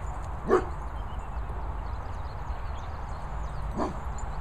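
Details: Two brief, separate barks, about three seconds apart, ring out over low wind noise. They come from dogs at play outdoors at a Worcestershire countryside kennels with Archie the Vizsla, Bridie the Chug and Sebastian the Poochon.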